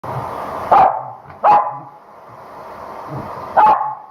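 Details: Female Corgi shampooed at home, which she hates, barks under the hair dryer and struggles wildly. Three sharp, mid-pitched barks come at uneven gaps over the steady whine of the blower.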